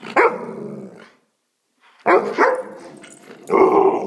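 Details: Alaskan Malamute yelling at its owner with loud, rough, woo-like outbursts. One comes first, then after a short pause two more run together, ending in a sustained grumbling howl.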